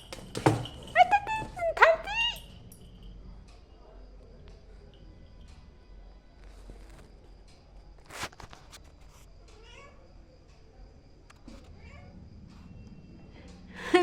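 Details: Kitten making bizarre noises at the sight of a lizard: a quick run of short, chirpy, upward-sweeping harmonic calls in the first two seconds, then near silence with a few faint clicks and a sharp tap at the end.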